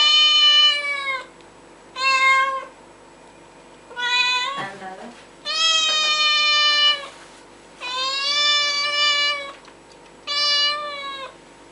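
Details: Cat meowing loudly and insistently indoors, six long drawn-out harmonic meows roughly every two seconds, each held about a second, with a brief human voice in between.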